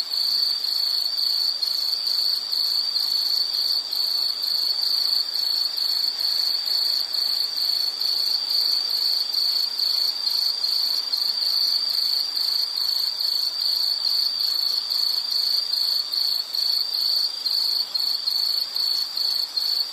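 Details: High insect chirping for study or sleep background, a dense continuous pulsed trill held for the whole stretch with a fainter upper tone layered on top.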